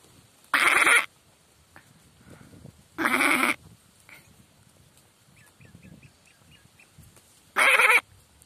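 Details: Goat calling with three short, harsh, distorted bleats of about half a second each, spaced several seconds apart, with quiet background between them.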